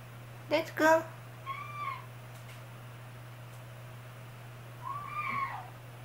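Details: Young kitten siblings, frightened on a newly climbed indoor cat tower they cannot yet climb down from, give two drawn-out, slightly wavering meows a few seconds apart, after a short burst of a woman's speech and under a steady low hum.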